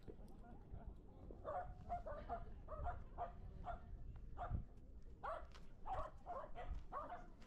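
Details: Shetland Sheepdog at a dog run during a birthday party gathering, shy around other dogs after about half a year away from the run; sharp mid-pitched barks repeat in quick bursts with a low rumble of background noise.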